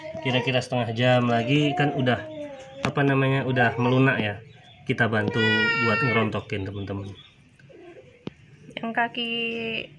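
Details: Hungry, thirsty stray cat badly sick with scabies, crying as it comes to a house asking for help; drawn-out, wavering meows rise and fall in pitch, interleaved with human talking indoors in a small room.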